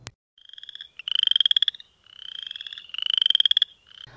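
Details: In early spring (late February to late April) in Winnebago County, northern Illinois, a chorus frog of temporary wetlands gives rising, rapid trills, like a thumb run over a pocket comb.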